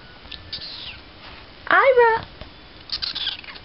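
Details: Ira, a tiny kitten, gives one short, harmonic meow that rises and then falls in the middle of the recording, with soft speech and faint rustling before and after.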